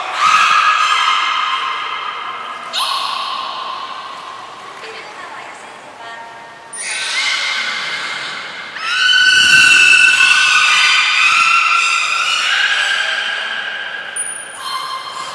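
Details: Training session with four captive belugas at Port of Nagoya Public Aquarium on 11 July 2020: dense, overlapping squeals and harmonic whistles come in bursts, some steady, some stepping in pitch. A brief high whistle tone sounds near the start and end.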